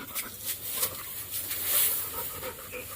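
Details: Golden, a pet Labrador in Kalsuli village, pants quickly in short breathy puffs about every quarter second, airy and hissing, over a steady background hiss.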